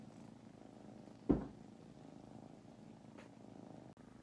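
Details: Napping foster kittens in Huntsville, Alabama purr in a soft, continuous low drone, interrupted by a single loud thump just after one second and a faint tap near the end.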